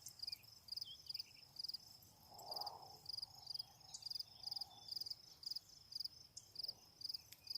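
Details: Crickets sing in short, high, pulsed chirps, about two every second, at the end of a warm summer day on a sunlit thyme bank at the edge of trees.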